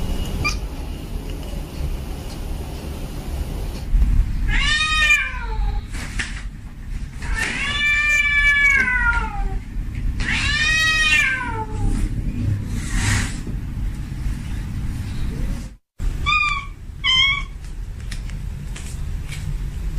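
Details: Domestic male cat in heat calling a female: several long, loud caterwauling meows that waver and bend up and down, then a brief silence and two short meows at the end, low hum behind.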